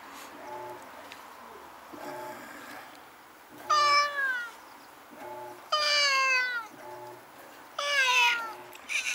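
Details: Two stray cats fighting at night near a home, filmed on a Nikon Coolpix S01. Three loud, harsh yowls come about every two seconds, each sliding downward, over faint repeated low tones in the background.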